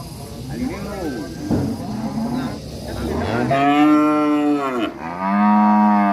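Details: Angry cattle at a village, with soft overlapping lowing at first, then two loud, drawn-out harmonic moos, the second held steady to the end.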